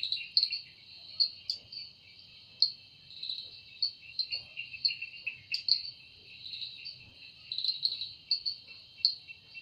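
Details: In a forest at evening a cicada's wing-made song runs as an unbroken shrill whine, punctuated by irregular louder rasping bursts and short pulsed trills.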